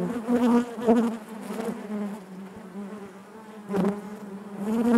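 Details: Inside a honey bee hive, a dense continuous hum with bright harmonic bands, single bees flying close and louder at the start, middle and end, each rising then fading.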